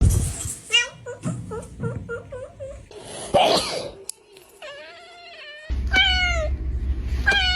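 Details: Domestic cats in a funny compilation: a run of short, rising-then-falling meows repeated about every half second, a harsh noisy burst midway, then longer drawn-out wavering meows over a low background hum.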